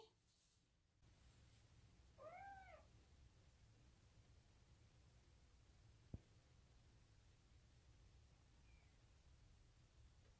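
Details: A female odd-eyed Munchkin short-leg kitten, born July 2018, just awake and being stroked by her owner, gives a quick run of high, thin meows, each rising and then falling.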